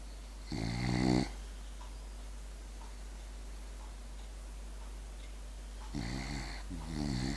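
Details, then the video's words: French bulldog snoring while asleep indoors: two raspy, buzzing snore bursts, one near the start and a double one at the end, separated by quiet breathing and steady low hum. "the french bulldog snoring"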